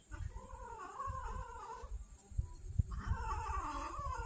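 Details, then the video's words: Hungry street cat in Banyuwangi, Indonesia, angry at a late feeding, gives two drawn-out wavering yowls separated by a short pause, over low rumbling background noise. "feeding street kittens banyuwangi hungry cats"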